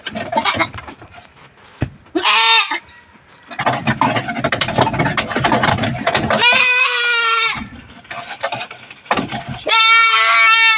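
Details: Goats kept in a backyard herd, given vitamins and dewormer as some are thin, bleat three times, nasal and wavering, between stretches of loud rustling and handling noise.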